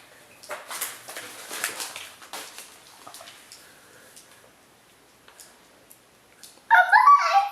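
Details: Siberian Huskies Mishka and puppy Laika, the adult teaching the puppy to talk: soft shuffling and rustling indoors, then a sudden loud, wavering, tonal howl-like vocalization in the final second.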